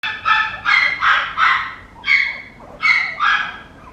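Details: Papillon puppy giving short, high, harmonic yips, four in quick succession, then a pause and three more, each a sharp bright burst.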